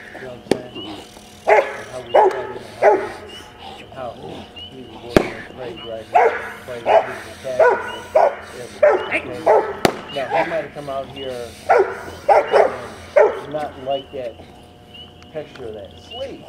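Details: Rottweiler puppy, 10.5 months old, barking in bitework training, April 2009; clusters of sharp, rapid barks come in bursts separated by pauses, with a handler speaking nearby.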